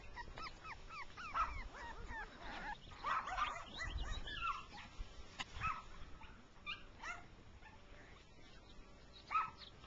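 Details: Rough coat Jack Russell Terrier puppies, six weeks old, running in grass with their mother; repeated high, bent yips and whines come in bursts, with a sharp click and low rumbling outdoors.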